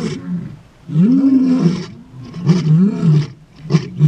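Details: Male lions in a territorial dispute as a takeover begins, southern Kruger National Park, morning; deep, drawn-out roars swell and sag, followed by shorter grunting bursts near the end.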